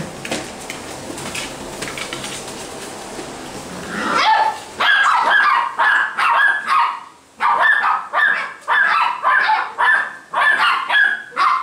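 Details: Basset Hound puppies at a kennel in Brazil: after four seconds of dull background rumble, a run of high, sharp yipping barks follows, roughly two per second, with brief pauses between bursts.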